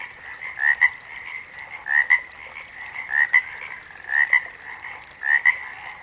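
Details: Frog calling in a steady series, each call a short two-part chirping croak repeated about once a second, five calls in all, over a continuous high chorus hum of other frogs.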